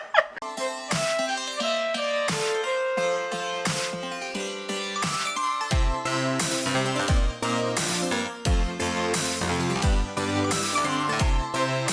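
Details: Plucked electronic music with a pulsing beat and a bass drop, and no animal sounds.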